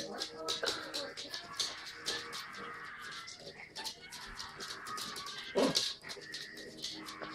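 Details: Yorkshire Terrier playing rough with a toy monkey indoors, giving short, strained whining vocalisations over steady scuffling and rustling, with a louder cry near the end and faint speech in the background.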